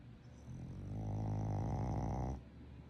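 A sleeping Boston Terrier snores with a low, rumbling, drawn-out breath.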